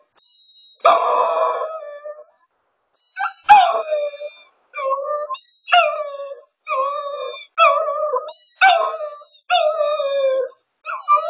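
A Shih Tzu howls in wavering, drawn-out phrases, with high steady musical tones above.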